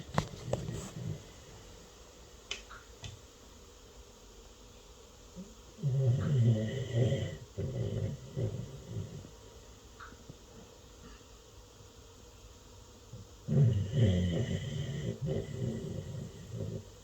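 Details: Pet dog sleeping indoors and snoring loudly: two long bursts of deep, rough, rasping snores with rhythmic breaths, each lasting a few seconds and separated by quiet stretches, with faint clicks at the start.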